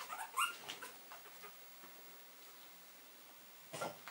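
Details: A Cavalier King Charles Spaniel litter of puppies at a breeder in Bavaria, Germany, give brief high whimpers and squeaks, with quiet gaps between.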